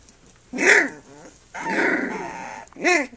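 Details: Three-week-old puppies, Flute's litter, during nursing and play; three loud strained yelps, the middle one long and rough, the last one short and arched.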